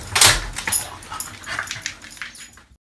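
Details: Dog-aggressive male French Bulldog, very friendly with people, during a training session: a few short, harsh, broadband bursts, the loudest near the start, then softer scattered yelps fading to silence.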